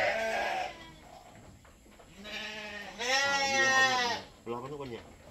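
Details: Goat bleating repeatedly while being milked for a newborn kid: a series of quavering, nasal calls of varying length, one long and loud, mixed with people chatting close by.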